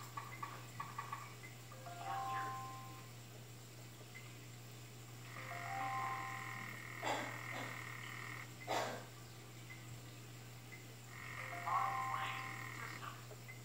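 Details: Calling African clawed frog: repeated mid-pitched metallic buzzing trills, one long burst of several seconds and shorter bouts, broken by a couple of loud knocks, with a steady low hum running underneath throughout.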